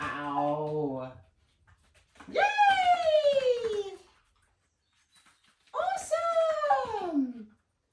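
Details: Indoor training session with a Whippet working on barrel send-arounds and bowl progressions: a low voiced sound opens, then two long, loud, overtone-rich cries that start high and glide steadily downward, each lasting over a second.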